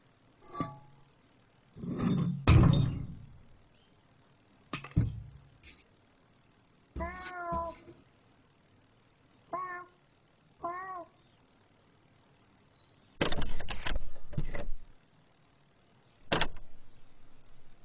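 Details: Cat meowing: several drawn-out, harmonic meows with falling pitch, around seven and ten seconds, mixed with loud thumps and knocking noises between them.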